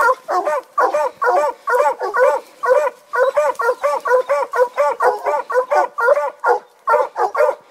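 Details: A Treeing Walker Coonhound bays at the tree in loud, ringing barks, about two each second, while treeing ringtails in eastern Kentucky.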